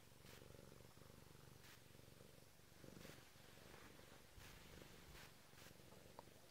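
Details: A Bengal cat waking someone up purrs steadily in a low, rumbling rhythm, with occasional soft rustling.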